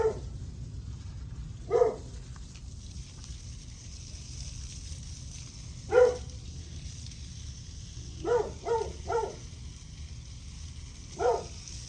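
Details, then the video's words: {'caption': 'Dog barking on July 9 at 8:38 am. Single sharp barks are spaced irregularly, with a quick run of three near the end. A steady low rumble and hiss sit underneath.'} "Barking dog"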